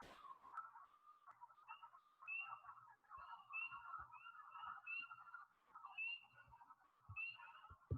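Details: A dense chorus of wood frogs (Lithobates sylvaticus) gives low, duck-like clucks, with high-pitched spring peeper peeps above.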